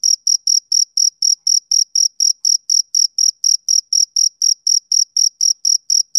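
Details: Summer-evening chirping of a male cricket: even, high, ringing pulses about four per second, each chirp short and bright, nothing else audible behind them.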